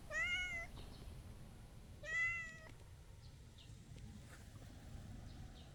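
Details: A stray calico cat asks for petting with two loud, bright meows about two seconds apart, each a short rising-falling wail, followed by quiet background rumble and faint distant chirps.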